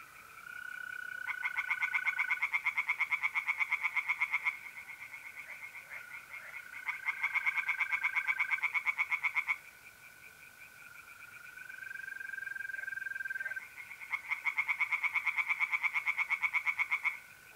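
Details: Tree frogs singing in a pond on a mid-April night in north-east Italy: bursts of rapid, pulsed croaking lasting about three seconds, returning roughly every six seconds, over the steady high trill of mole crickets.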